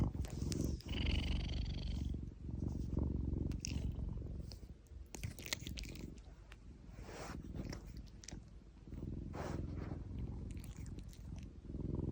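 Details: Domestic cat purring while its paw is gently stroked, a continuous low rumbling purr throughout, with soft rustling and handling noises over it.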